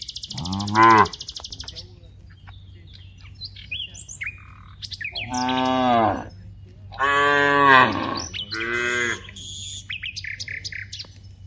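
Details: Many cows active in an open rice field. Four moos come in turn, a short one, then two longer ones and a final brief one. Chirping birds and a high buzzing insect are heard at the start.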